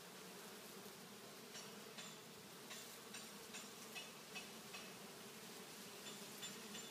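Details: Bee swarm on a kumquat tree in a front yard, a dense steady hum of many bees with low droning bands and scattered sharper buzzes of individuals flying close.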